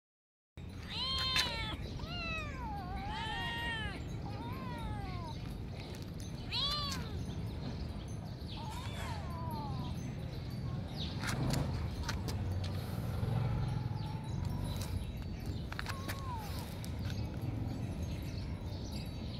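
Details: Domestic cats competing for food: a run of loud, arching meows that rise and fall in quick succession during the first seven seconds, then fade into rustling and scattered clicks against a low background rumble.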